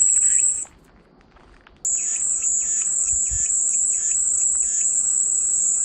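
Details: Cicada sound for calming white noise: a high, even buzz cuts out for about a second of near silence, then resumes steadily, with faint rhythmic rasping pulses underneath.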